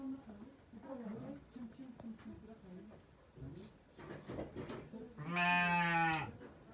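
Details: Sheep from a ewe's quadruplet litter of two male and two female lambs, recorded 23 October 2023. A man talks first, then one loud, long, wavering bleat with rich harmonics rings out near the end.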